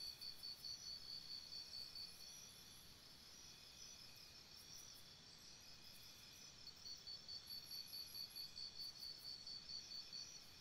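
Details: Crickets chirping at night by a campsite: a steady high pulsed trill of rapid chirps, about two per second, in long runs with brief pauses, over a continuous high insect chorus and soft low background hiss.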